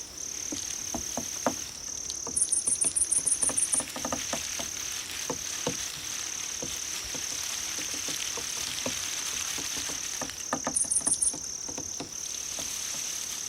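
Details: Cricket sounds meant to attract cats: an unbroken high-pitched trill with two short bursts of rapid pulsed chirping, one early and one near the end, over scattered soft ticks and taps.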